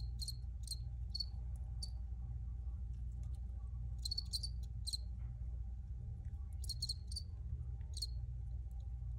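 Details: Crickets chirping: short high pulsed chirps in loose bursts, some doubled, with gaps of a second or more between groups, over a steady low hum.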